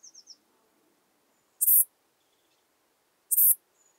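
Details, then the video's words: Ephippiger ephippiger at Pfaffstätten, Austria, 7 August 2022, singing two loud, high, hissing chirps about 1.7 seconds apart. A few faint, thin ticks and whistles sound in the quiet gaps. "Ephippiger ephippiger -- Steppen-Sattelschrecke -- Saddle-backed Bush-cricket"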